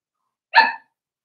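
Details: A single short, bright yip from one of Daisy's four-week-old Cavalier King Charles Spaniel puppies in their pen, sharp and ringing, with silence before and after.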